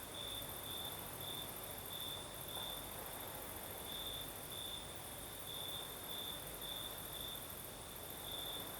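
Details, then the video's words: Southern Crimea at night, crickets singing in a gentle breeze: bright high chirping trills repeated in short runs throughout, over steady wind hiss and a continuous thin high drone of other insects. "Звук ночи. Юг. Крым. Сверчки поют. Ночной бриз."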